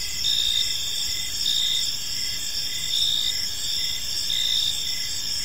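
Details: Several crickets chirp together in a park at evening, forming an unbroken high, ringing trill with gentle swells in volume; faint low rumble underneath.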